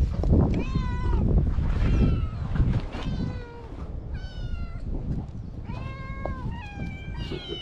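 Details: A stray kitten and its mother cat on a cat island, meowing at a person before being fed, filmed on a GoPro HERO8. Clear, bent, drawn-out meows come in quick succession over a steady low rumble of wind or surf.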